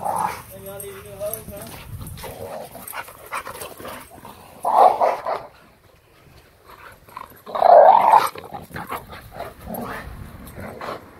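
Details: An Alaskan Malamute and a Pit Bull play together in a backyard with a pool. Scattered rough growls and two loud, short, harsh bark-like bursts stand out, while people talk and laugh throughout.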